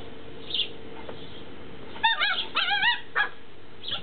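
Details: Tibetan Terrier puppies in Berlin/Brandenburg: a few high, wavering whimpers and yips in quick succession around the middle, with short squeaks before and after, over a steady low background hum.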